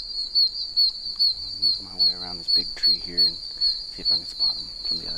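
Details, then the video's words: Oak toads, tiny one-inch toads calling from puddles in a wet wilderness area. Loud, high, piercing peeps repeat about every 0.4 seconds over a steady shrill chorus, with a man's voice speaking in the middle. "Oak Toads (Anaxyrus quercicus) Super Loud!"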